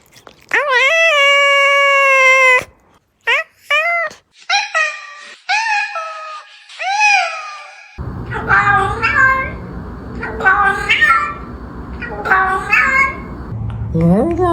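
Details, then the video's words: Domestic cats meowing indoors: a long steady high meow first, then several short rising-falling meows, followed by overlapping mews over a low steady hum, with speech and a squeak toy nearby. "Listen to the healing sounds of cats"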